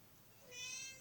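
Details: Domestic cat named Sausage meowing indoors in response to its owner coughing; a single short, high, harmonic-rich meow rising in the second half, strongest around two to eight kilohertz, over a quiet room.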